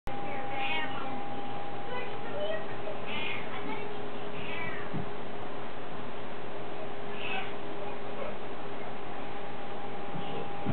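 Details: Domestic cat, curious about something, meowing indoors: several short nasal meows spaced a few seconds apart over a steady electrical hum, with a person calling out just afterward.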